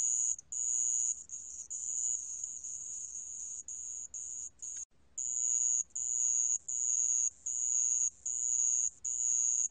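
A sand cricket gives high, thin chirping trills in short bursts, repeated a little more than once a second.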